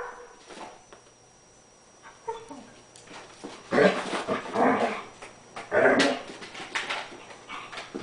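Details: Collie dog in crazy play with a bone, giving a few soft low sounds before loud rough barks around four and six seconds, then quieter grumbling; a faint steady tone runs underneath.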